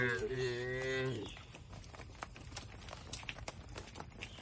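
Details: A single moo opening the passage from tame cattle driven to a wide field in a rural village, tapering after about a second, followed by scattered clicks and light rustling noise.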